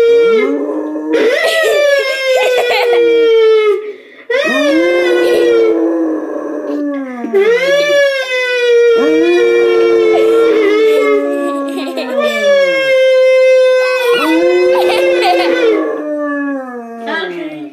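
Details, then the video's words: Domestic dog howling along to a music box indoors: long, drawn-out tonal howls that rise then slowly sag in pitch, about six in sequence with short breaths between, over faint tinkling music box notes. "Dog howls to a music box"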